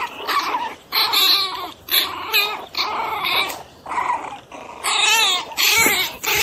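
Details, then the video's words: Pinscher dog in an angry mood, a string of rough growling bursts mixed with quavering, whine-like tones, about six outbursts separated by short quiet gaps. "Pinscher Bravo"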